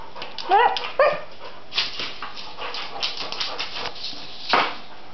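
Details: Springer spaniel indoors in a kitchen, chasing a CD around the floor; two short, high, wavering whines near the start, then scuffling, clatter and a few soft yips over quiet room noise.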